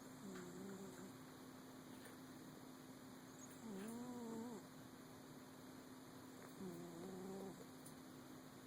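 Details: Sleeping kitty snoring, three tonal, slightly wavering snores under a second long, spaced about three seconds apart like slow breaths, over a steady electrical hum and faint room hiss.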